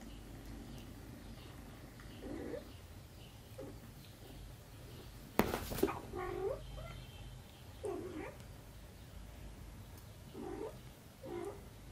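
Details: While nursing on their mother cat, little kittens give soft, brief meows at irregular intervals, with a sharp click-like knock midway and a low background rumble throughout.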